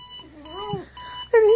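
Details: Pet dog howling along with a ringing alarm clock indoors: a wavering, arching howl rises and falls beneath steady high beeping alarm tones, then a louder sustained howl closes as the alarm resumes.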